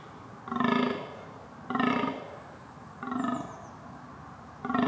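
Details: Red deer giving four rough, nasal bleats, evenly spaced about every one and a half seconds, each strongly overtoned; a faint high whistle slips in near the middle, with a steady low hum throughout.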